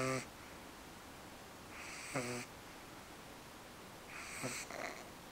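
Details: Deeply sleeping dog named Eve, worn out after her first time at the park, snoring in rough, hissing breaths with a buzzing low edge, three snores spaced about two seconds apart.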